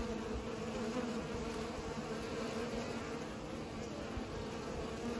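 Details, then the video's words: Bees pollinating: a steady, continuous droning buzz with bands near 220 and 500, overlapping wingbeats from several insects, soft low rumble beneath. "Bees are pollinating"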